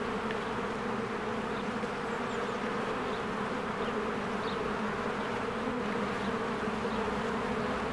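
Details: Honeybees swarm around their hive in spring, flying in and out. A steady, rich insect hum fills the air with low humming bands, and a few faint, short high notes sound in the background.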